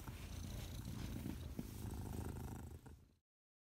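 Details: Domestic Shorthair cat up for adoption gives a close, deep, rhythmic purr with fast pulsing low rumbles for about three seconds before the sound cuts off abruptly into silence.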